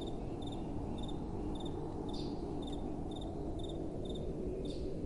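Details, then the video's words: Night-time crickets giving quick doubled chirps roughly every half second, thin and high-pitched, while gentle wind blows low and constant underneath. "Relaxing Night Time Sounds | Crickets & Soft Wind"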